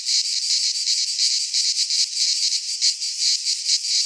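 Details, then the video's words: Cicadas singing in midsummer in a Greek pine forest: a dense, continuous high-pitched buzzing drone with a rapid pulsing shimmer, steady and loud throughout, no other sounds. "Cicadas singing in midsummer"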